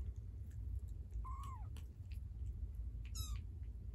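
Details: Kittens mewing: a thin arched mew that rises then falls, followed about two seconds later by a shorter, clipped mew, both set against a steady low rumbling background hum.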